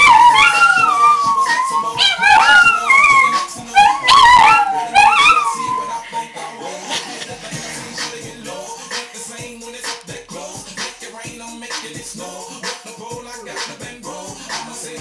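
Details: A Chihuahua and a Dachshund howl along to the pop song "Apple Bottom Jeans," as they do every time it plays, their voices sliding up and down in wavering, overlapping wails.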